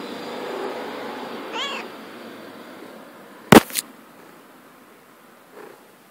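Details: Female pet cat playing outdoors in grass gives one short wavering meow, followed by a sharp loud click and a faint brief mew, with soft background hiss throughout.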